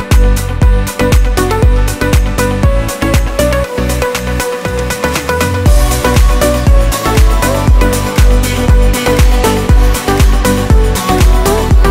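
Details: Loud electronic dance music with a steady pounding beat and layered synth tones throughout, with no animal sounds.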